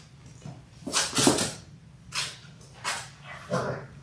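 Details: Labrador Retriever puppies in their sixth week, a litter of six born January 18, 2022, filmed indoors on February 28: four short, rough, breathy yelps or barks spaced about a second apart, with a low background hum.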